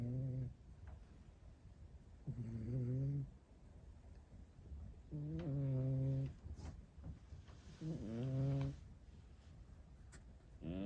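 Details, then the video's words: Rescued cat snoring: low, droning, harmonic snores about a second long, four of them in eleven seconds, roughly every three seconds, with quiet breathing gaps between. "猫のイビキ聞いたことある？【Have you ever heard of cat snoring】"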